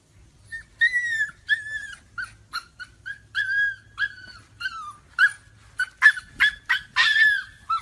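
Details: Husky puppies in a funny-moments compilation whining in a run of short, high, thin whimpers and yips, about two a second. Some notes slide downward and a few end in sharper squeaky cries, over a quiet background.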